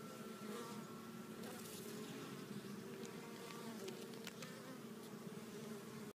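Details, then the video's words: Hive honey bees arriving loaded with pollen, several colors noted; a thick, continuous humming buzz from many bees, with a few brief light ticks and clicks scattered over the drone. "Bees Returning With Pollen"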